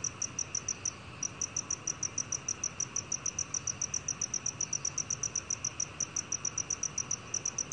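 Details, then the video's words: Black cricket from a 2020 recording: a continuous string of sharp, high chirps at about three per second, briefly interrupted near the start, set against low, steady hiss. "검은귀뚜라미, 여러번 듣기, 곤충소리"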